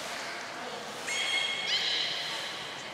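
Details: Captive belugas Gray, Nana and Mirai in training at Port of Nagoya Public Aquarium, 6 August 2023: two short, clear whistled squeals, the second stepping higher, over a steady background hiss.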